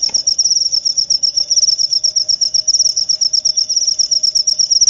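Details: Cricket sound for calming the mind before sleep and repelling rats: sharp, high chirps pulse rapidly and evenly for five seconds over a faint low steady hum.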